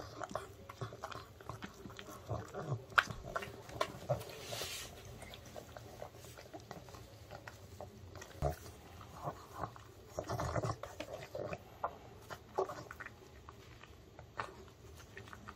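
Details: Indoors, the male pug Ttungi munches oven-baked, dog-safe fried and seasoned chicken. Dense clicking crunches come in quick irregular bursts, broken by a couple of louder wet smacks around the middle and later on.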